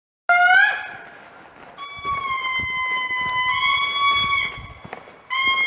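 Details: An indri in the morning at Andasibe, Madagascar, gives loud, horn-like wailing notes, long and pure-toned, sliding gently down in pitch.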